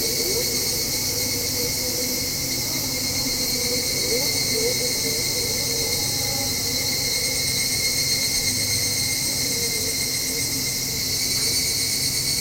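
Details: Evening cicadas heard from a home balcony around dusk near the turn to autumn: a continuous bright, high ringing drone that holds level throughout, with low motor and traffic rumble in the background.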